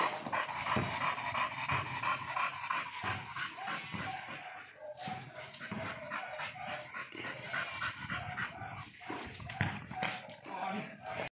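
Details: Dogs, a chow chow and an American bully, during free time; steady rapid panting breaths with occasional faint whimpers over a noisy background.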